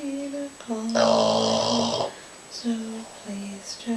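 A sleeping Boston Terrier snores with nasal, whistly tones and one long, rattling, rumbly breath.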